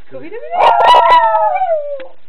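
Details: Small pet Yorkshire terrier singing along to Scooby-Doo, with one long howl that starts low, climbs quickly and slides gradually down, and a brief noisy burst partway through.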